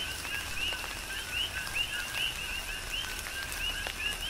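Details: Rain-soaked night chorus of coqui frogs on Hawaii's Big Island: clear, upward-sweeping whistled chirps come in quick succession above a softer lower note, with steady rainfall and falling drops.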